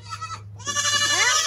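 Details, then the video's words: Young goats from the 2022 kidding season calling loudly: a short bleat, a pause, then a long trembling bleat with several kids overlapping, a low hum underneath. "So many LOUD baby goats!"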